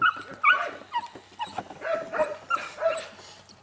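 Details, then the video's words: Playful yips and squeaky whines from eight-week-old DarkFall H litter puppies, two males and two females, coming in irregular bursts roughly every half second, some sliding upward, with faint rustling between calls. "H litter DarkFall play with me 8 weeks old (2 males and 2 females)"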